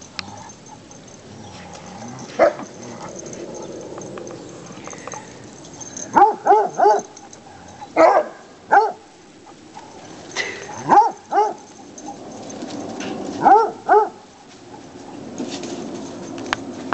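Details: Foster Walker coonhound pups Robin, Eagle and Piper, aged three and a half months, play in leaves on a sunny fall day in Michigan. Short yips come in clusters of two or three at irregular intervals over steady rustling.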